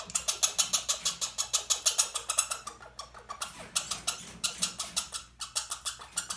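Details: Angry captive red squirrel named Bobbi protesting at being handled while transferred to a larger cage ahead of release; a fast run of sharp, shrill squeaks, roughly three per second, with brief pauses near three and five seconds.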